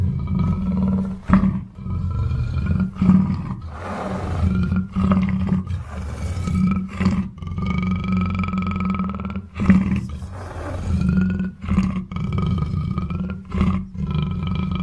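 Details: A black panther growls low and rough in repeated throaty surges separated by sharp breaths, with a continuous deep rumble underneath.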